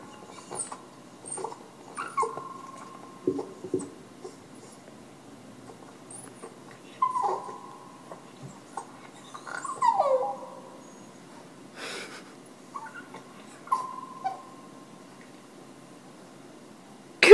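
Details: Pet male Boston Terrier singing on command while his owner urges him to sing; several short, drawn-out whining howls at a steady pitch, some sliding downward, separated by pauses, with scattered clicks and quiet spoken encouragement.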